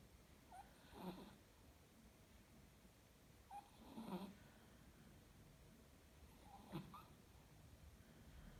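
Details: Chihuahua asleep, giving three rough, wheezy snores about three seconds apart, each preceded by a short thin nasal squeak, with soft low breathing between them in a quiet room.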